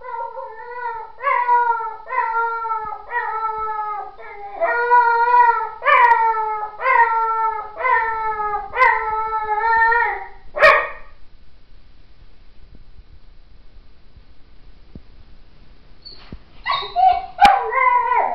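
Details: Howling puppy, likened to a wolf, giving a run of short, wavering tonal yelps about once a second for ten seconds, then a quiet pause and a final burst of rising howls; a click and a few faint knocks between.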